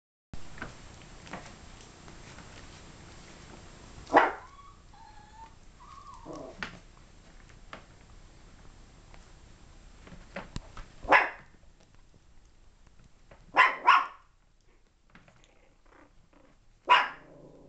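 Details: Yorkshire Terrier puppies, 32 days old, indoors: a few short, sharp yips and barks spaced several seconds apart, with a brief whining squeal near the start and quiet room noise between.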